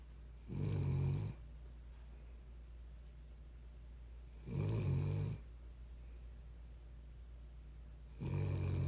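A Cavalier King Charles Spaniel snores in deep, rumbling bursts, each lasting about a second.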